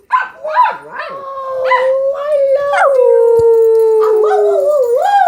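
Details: Pet dog howling along as people sing and make noises to set it off: a few short wavering yelps, then a long sustained tonal howl sliding slowly down, ending in a rising wavering note.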